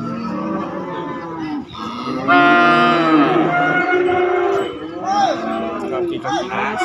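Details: Cattle at a market holding calves and young feeder bulls: lower, rougher calls open, then one long, strong, even moo that holds for over two seconds, ending in shorter falling moos.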